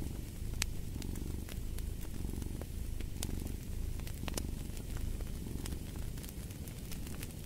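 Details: Cat purring steadily, a low buzzing rumble in rhythmic inhale and exhale waves, with bright isolated pops from a crackling fire throughout.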